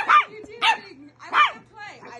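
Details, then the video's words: Corgi puppy Jasper barking while playing and arguing with Sunny, an adult dog: four short, high yappy barks spaced about a third of a second apart, with a low hum underneath. "Corgi puppy argues with adult dog"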